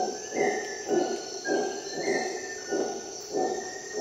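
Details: Dawn chorus in Costa Rican jungle led by a howler monkey's deep pulsed grunts, evenly spaced roughly every half second, under a constant shrill insect buzz and occasional short whistled bird notes.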